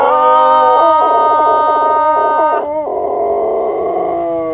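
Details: A dog trained to sing as a young puppy howls along with its owner: a long sustained tonal howl with rich harmonics, broken by a few quick wavering dips, then continuing on a lower, steady pitch.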